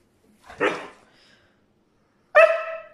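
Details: Complaining brown male Siberian Husky that wants to go outside: a rough, breathy vocal burst, then after a pause of about a second and a half a clearer harmonic yowl that falls away.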